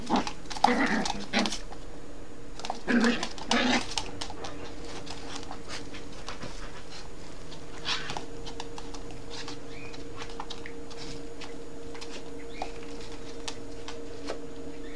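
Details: A mother Yorkshire terrier plays with her puppy, as if teaching him manners; two clusters of gruff, grunting growls early on, then quieter rustling and faint sounds for the remainder.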